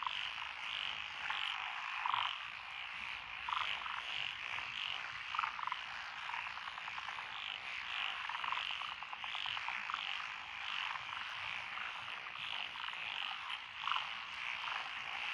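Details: Mixed frog chorus in lotus rice paddies at Echizen, Fukui Prefecture, Japan, June 2021, with tree frogs, pond frogs and wrinkled frogs among the species present. Many overlapping croaks pulse continuously, and individual louder calls recur every second or two.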